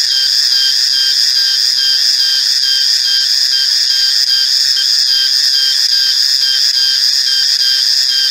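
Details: A male cicada gives a steady, unbroken, high-pitched droning whine that holds one level throughout.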